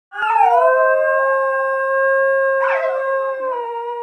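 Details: Basenji singing its song while lying under blanket covers: one long sustained howl holding steady near one pitch, with a rough wavering break toward the end before settling lower.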